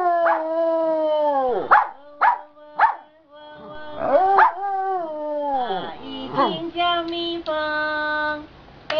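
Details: Giant panda in a good mood in the afternoon, singing leisurely with rests: a series of harmonic-rich bleating calls, some sliding sharply downward, others held steady and nasal, separated by brief pauses.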